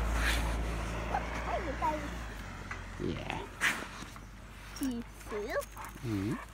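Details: Guard dogs near Stråsø greeting arrivals with a string of high, downward-sliding whines and yelps, clustered toward the end, after a low thud and rumble at the start; a person's voice and scattered knocks are heard in between.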